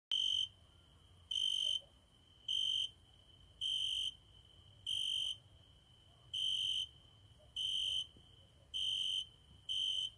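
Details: A cricket sings at night by a window, as it does every night, giving loud, clear, high-pitched chirps about half a second long, repeated roughly once a second.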